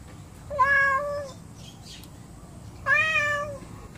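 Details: Two angry pet cats that do not get along: a pair of long, level, nasal meows about two seconds apart, with quiet room hum between them.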